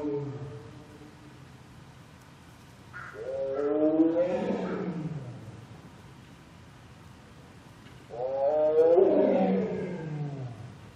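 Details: Josef, a male Siberian tiger born February 2011 at Seoul Grand Park zoo, gives two long, hoarse, moaning roars that swell and then fall away in midwinter.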